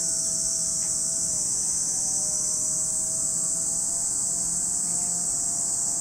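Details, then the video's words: At Lake Kamo, Sado City, Niigata Prefecture, Japan, a chorus of cicadas makes a continuous shrill buzzing wall of sound, with faint tonal humming lower down in the background. "Lake Kamo in Sado City, Niigata Prefecture, Japan, where you can hear the voice of cicadas."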